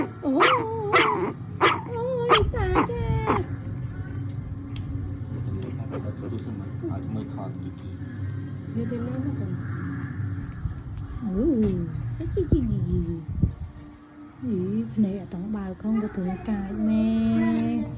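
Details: A pet dog, female, disturbed while sleeping and protesting at being touched, gives drawn-out whining, grumbling vocalisations with rising and falling tones, a burst of high harmonic whines at the start, over background music.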